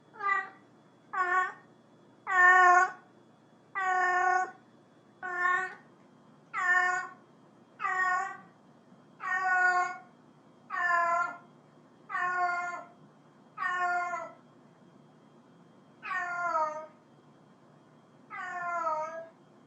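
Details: A cat calls to another cat with a fast series of about fourteen short meows, mostly under a second apart, each bright and harmonic with a slight downward slide at the end, slowing toward the finish.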